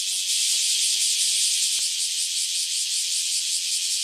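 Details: Chorus of newly emerged cicadas, an unbroken shrill high buzzing drone; a single soft knock sounds partway through and faint low rustles lie beneath.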